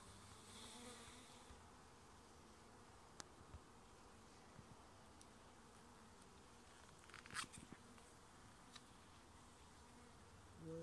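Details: Colony of honey bees humming around an opened residential hive in Nova Scotia as the beekeeper searches the frames for the queen and eggs. Constant low drone, interrupted by a few clicks and a brief rattle of handled equipment.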